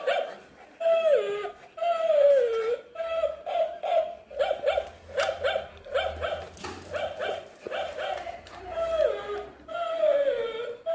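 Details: Shih Tzu fighting with a toy dog: quick strings of sharp yaps broken by drawn-out descending whining cries, with a low hum underneath in the middle.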